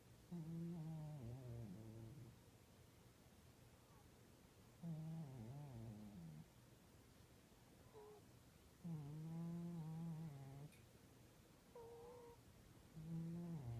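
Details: Fatso the cat snoring: low, rumbling, harmonic breaths each lasting about two seconds, recurring roughly every four seconds, with a few shorter, fainter snorts in between, against a quiet indoor background.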